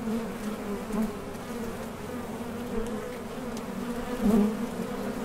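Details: Honey bees hum at a Top Bar Hive entrance while heading out to collect nectar and landing again, a dense low drone with a louder passing bee near the end.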